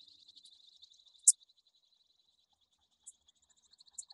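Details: Poecilimon ornatus bush-cricket recorded at Seewiesen, Germany, on 28 June 2019, with noise removal applied. A faint, steady train of rapid high ticks runs throughout, broken by a few sharp, isolated clicks spaced one to two seconds apart.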